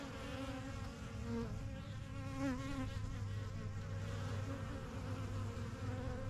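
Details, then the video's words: Honey bees fly in and out of a new backyard hive, the yellow box and strongest of a first few colonies begun in spring 2023. A thick, even buzz has wavering overtones, with a deeper low hum underneath. "BUSY BEE HIVE AMBIENCE"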